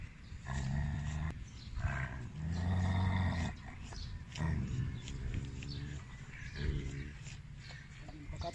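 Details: An aggressive Siberian Husky under behaviour evaluation for dog training gives deep, rumbling growls and snarls in bursts of one to two seconds.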